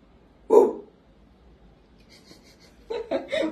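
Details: Dog gives a single sharp bark on the spoken command "голос" (speak) from a child during an indoor obedience session, followed by soft speech.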